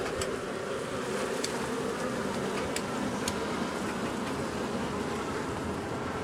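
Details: Honey bees from a long-established colony in the wall of a house, turned angry after dark on day one of a March 6 rescue cutout: a dense, steady swarm hum with faint sharp clicks scattered through.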